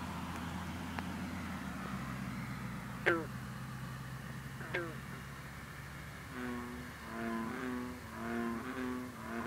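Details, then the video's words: Green frog, also called bronze frog, calling at night over misty water in cool air in the 50s, giving two sharp twanging plucks about two seconds apart, then a run of low droning notes from bullfrogs and other green frogs behind. "Green Frog(a.k.a Bronze Frog) singing"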